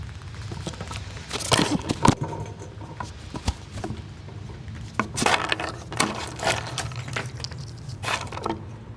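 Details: Squirrels eating nuts and jostling one another, giving loud, sharp cracks and crunches in irregular bursts, with quieter gnawing clicks between them over a low background rumble.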